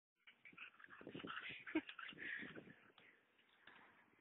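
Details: Molly, a mother dog, with her puppies: a dense, overlapping burst of high whimpers and short yips that swells and fades over about four seconds, irregular and chattering.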